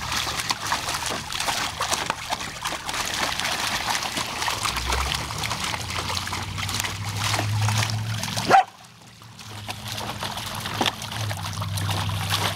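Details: Savannah, a female Samoyed, playing with a spraying garden hose on a hot summer day: steady hiss and splashing of water throughout, broken near the end by one sharp, loud bark, followed by a brief hush before the water resumes.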